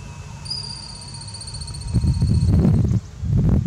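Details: Thirteen-lined ground squirrel, Southeast Wisconsin, recorded at a distance: a sustained high, thin whistle drifting slightly lower for two seconds, then fades; loud low rustling and handling bumps follow.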